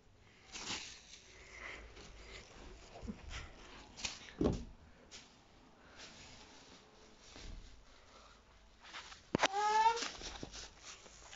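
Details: Two Bengal cats playing with, then fighting over, a plastic bag; one gives a brief, strained meow after a long stretch of crackling plastic rustles.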